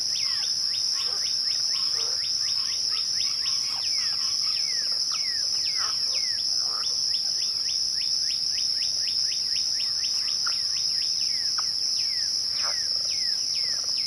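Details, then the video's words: A twilight cricket chorus holds one continuous shrill, even tone throughout. Dense runs of short descending whistled sweeps from other callers crowd over it almost without pause. "twilight crickets"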